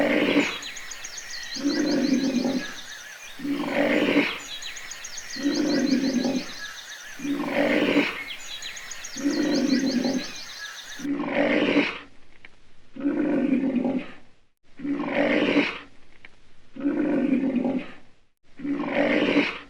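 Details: Lion roaring in a steady series of deep, throaty grunts, each lasting about a second and repeating roughly every two seconds; high chirping birds sound in the background during the first half, then drop away.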